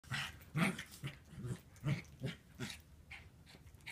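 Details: Puppy at play, giving low, rough growls in short bursts of about half a second, repeating roughly twice a second with brief breathy gaps between them.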